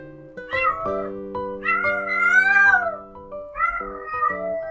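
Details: Stray domestic cat, a female in heat calling loudly so males can find her, heard more in warm weather; three drawn-out wavering yowls, the middle one longest and rising then falling, over steady background music.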